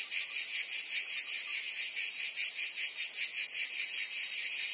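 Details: Provençal summer cicadas in France fill this short stretch with a piercing, steady electric buzz, lightly pulsed, with no gaps and no other animals or voices.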